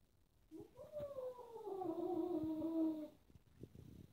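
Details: Kitten in a house of four playing cats, annoyed by a black cat that bites the others; a single long meow rises briefly, then slides steadily lower for over two seconds, followed by faint thumps.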